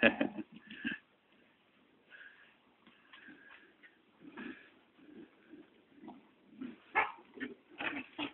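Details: Chihuahua puppies at play, two of them, scrappy growls mixed with little yips and whimpering squeaks, loud bursts at the start and scattered through.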